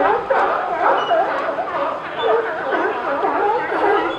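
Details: California sea lions at Pier 39, a group barking and sneezing: a dense, continuous chorus of hoarse, harmonic barks and honks overlapping throughout, with no clear pauses between callers.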